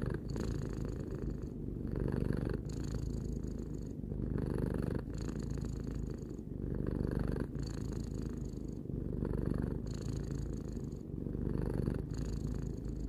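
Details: Purring of a three-year-old pet cat, a deep continuous rumble with fine rapid pulsing, breathing cycles alternating louder and softer phases about every one and a half seconds; nothing else audible.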